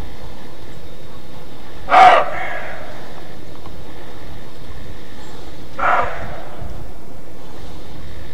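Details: Roe deer giving its alarm bark: two short, harsh, hoarse barks about four seconds apart, the first louder, over a steady low rumble of background noise.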